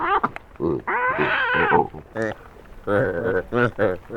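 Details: Wild Hamadryas baboons in northern Ethiopia, a mob squabbling loudly while eating stolen grain, recorded closely in 2019 on a Sony PCM D100: harmonic, wavering, strangely human-like wails and grunts in short bursts.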